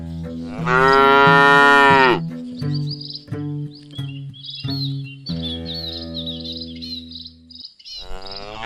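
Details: Village bull relaxing and eating grass in rice fields, calling: one long, loud, rich moo lasting about a second and a half. Background music with plucked notes follows.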